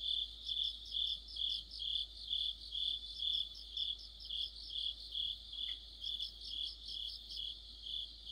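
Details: Autumn chorus of crickets and other insects beside a street lamp: steady high chirping pulses repeated about twice a second, several singers overlapping in a continuous shimmering band.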